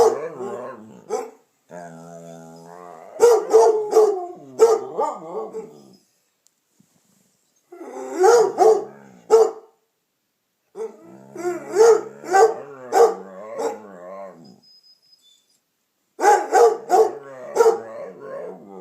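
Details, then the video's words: Indoors, a dog named Damion howls along with Piper, a Redbone Coonhound given to frequent barking and baying. Harsh barks come in clusters, broken by a smooth, quivering howl and longer drawn-out bays, with short silent gaps between bouts. "Howling, yawning and talking.........Damion does it all!"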